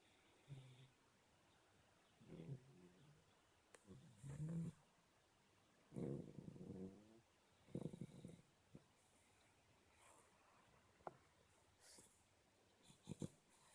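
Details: A black Shar Pei puppy is asleep and snoring. Irregular rasping snores come every couple of seconds, mixed with sharp clicks and small rustling noises in a quiet room.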